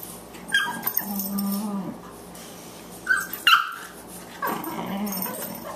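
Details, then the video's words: Boxer puppy Margie, 14 weeks old, wrestling with elder Boxer Lou: a long low growl, then high sharp yelps and another drawn-out growl, with rustling of play. "Boxers at play"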